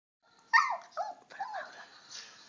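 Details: A dog "sings" along to the Two and a Half Men theme song, giving three short, wavering howls, each sliding up then falling away.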